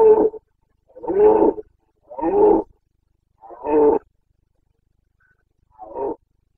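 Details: Carpathian red deer stag in Bucovina during the rut, 29 September 2022, giving a series of deep, harsh roars, each about half a second to a second long, five in six seconds with short silent gaps.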